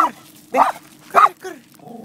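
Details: Miniature Poodle meeting horses for the first time while visiting Bristow, Virginia; short sharp yipping barks come in quick bursts roughly every half second, four in two seconds, with a person's coaxing voice nearby.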